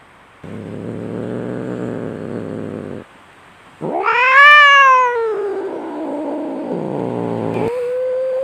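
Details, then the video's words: Domestic cats fighting: a steady, low, rattling growl, a short pause, then a loud yowl arching up and down that trails into a wavering growl, ending with a short, higher-pitched wail. "SUARA KUCING BERANTEM"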